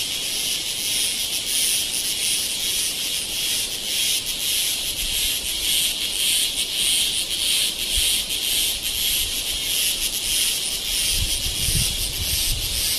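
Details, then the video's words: Cicada noise from Kodaikanal and Thekkady, India, 2014: a sustained shrill buzz with quick rhythmic throbbing, continuous throughout, and a brief low rumble near the end. "Noise Of Cicada In India"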